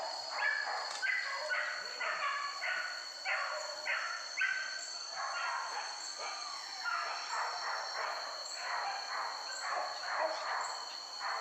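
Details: A pack of hunting dogs chasing wild boar through forest barks in rapid, choppy bursts, several dogs yelping over each other for the whole stretch, with a steady high whine of insects in the background.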